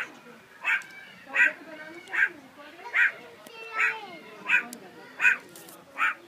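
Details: Captive meerkats in Rishon LeZion give a string of bright, harmonic yelping calls, one roughly every three-quarters of a second, eight in all, with faint lower murmuring between them.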